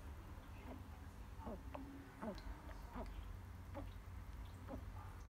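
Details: Pig-nosed turtle calling: a series of short, faint squeaky chirps with downward-bending tones, spaced irregularly about every half second to second, over a low steady background hum.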